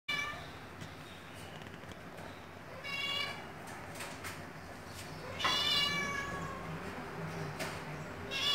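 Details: Siamese cat meowing: two drawn-out, harmonic-rich meows, the first near the three-second mark and a louder one later, with short clicks and soft background noise between calls.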